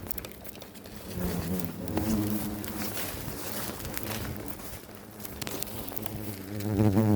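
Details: Low, droning wing buzz of many Asian giant hornets at an underground nest on 11 October in autumn, with a man talking over it.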